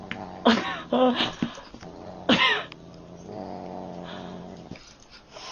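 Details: A Neapolitan Mastiff crying: a few bursts of hoarse, whining vocal sounds in the first half, each under a second, then a lower drawn-out moan before fading into quiet.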